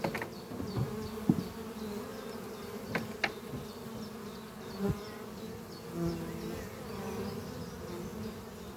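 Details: Honey bees flying at a horizontal hive under trees on a spring morning, workers bringing in pollen; a steady low droning hum with sharp knocks and thumps near the microphone, and faint repeated high chirps of birds behind.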